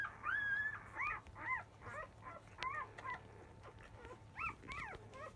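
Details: Newborn field-type Labrador Retriever puppies, five days old, squeal while beginning to nurse in the early afternoon; high rising-falling whines and squeaks come in quick irregular bursts, some overlapping, over a faint constant hum.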